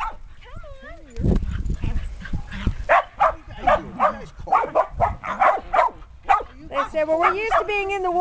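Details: Shetland Sheepdogs, a litter of six puppies 8.5 weeks old together with adults, play outdoors in a yard after long cold, wet spells in 2010. A burst of quick repeated yappy barks is framed by human voices.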